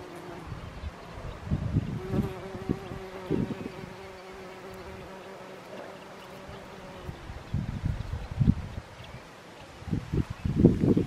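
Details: Bees buzzing on vetch flowers at Rainham Marshes Nature Reserve, low droning hums in bursts, with one steady humming tone held for several seconds as a bee hovers, then short buzzy passes coming and going.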